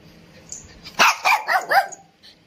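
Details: Indian Spitz dog barking: four quick, sharp barks in a rapid run after a second of quiet, then a faint sound near the end.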